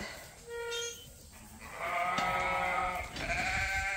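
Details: Leonard, a ram at Ewetopia Farms, a large registered Suffolk and Poll Dorset sheep farm, bleats in the barn. A short harmonic bleat is followed by a longer, louder wavering one and a third close behind.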